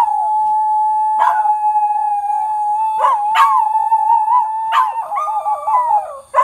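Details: Australian Cattle Dog. Australian Cattle Dogs answer coyotes with a sustained, fairly high howl held on one pitch. Toward the end the tone wobbles and breaks into quick up-and-down yodeling, with a few sharp yips mixed in.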